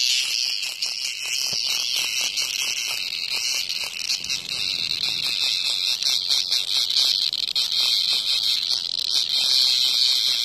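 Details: A cicada struggling to escape a hornet's attack near a house produces an unbroken, strident high buzz with fast crackling pulses, growing slightly louder toward the end.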